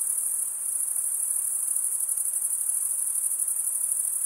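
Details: Male crickets chirping through stridulation: a continuous high trill with a faint pulsing about 92 beats a minute, loosely regular, over quiet hiss.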